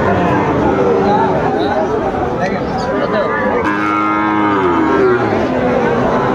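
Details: Moos from Sahiwal bulls at a busy Cumilla cattle market, Bangladesh, 19 September 2024: several overlapping lows, with one clear drawn-out moo just past the midpoint, over constant crowd chatter and background bustle.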